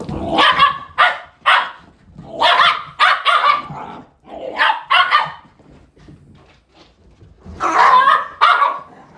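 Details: Shiba Inu pet barking repeatedly in loud clusters of two or three sharp, broadband barks, with short pauses between clusters throughout the clip.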